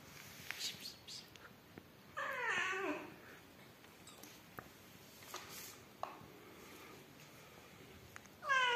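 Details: Rescued yellow mother cat Amarilla with her newborn kittens, indoors: one drawn-out, wavering meow with rich harmonics in the middle, surrounded by scattered clicks, rustles and a rising cry beginning at the very end.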